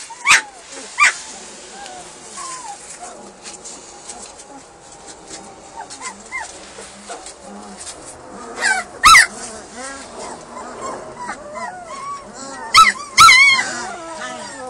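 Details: Hungry German Shepherd puppies at feeding time, several voices overlapping in high, wavering whimpers and whines that rise and fall in short arcs, with sharp yelps breaking through near nine and thirteen seconds.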